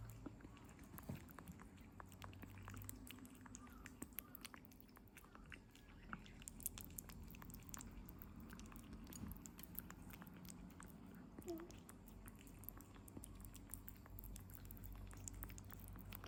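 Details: Kitten Norimaki, 57 days old, eating Medifas weaning food indoors: steady soft clicking and smacking chews scattered throughout, with a quiet room background.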